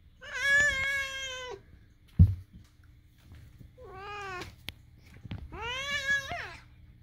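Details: Moo, a pet cat, voices his odd calls beside Daisy; three drawn-out, harmonic meows, the first lasting over a second and slightly rising then falling, separated by silence and one sharp knock.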